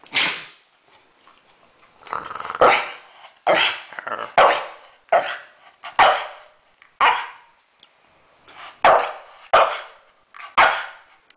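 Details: Staffordshire Bull Terrier named Deeogee barking on command to speak, a run of about a dozen sharp, throaty barks spaced roughly a second apart, some with a growling edge, over a quiet indoor background.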